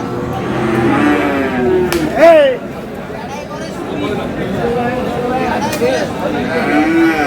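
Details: Friesian and crossbred bull calves at Aftabganj cattle market, Dinajpur, on 22 July: a rising-then-falling moo with rich harmonics near the two-second mark, amid steady market chatter and bargaining voices.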